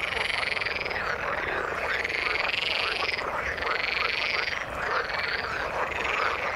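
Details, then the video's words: Frogs in the water croak together in a thick, constant chorus. Shrill, buzzy pulses and curved rising-falling tones overlap densely, with brief dips in intensity. "Frog sound in the water"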